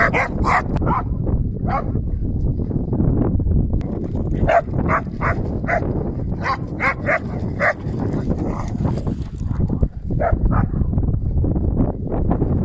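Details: Schnauzer barks, short and punchy, arriving in irregular clusters with brief pauses between them, set against constant low rumbling background noise.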